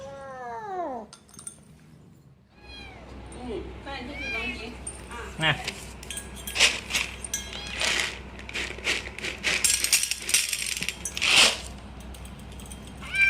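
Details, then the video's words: Little kitten eating cat food and guarding it, making contented noises while it eats: a drawn-out falling meow at the start, then rapid crunchy chewing clicks and smacking sounds, with some background talk. "little kitten eating food making noise||protect food"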